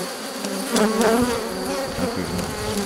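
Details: Dense, steady buzzing of many honey bees around an open drone-laying hive during a rescue attempt, May 2021, after nurse bees on a brood frame were added from the colony next door; a continuous low hum with brief louder surges.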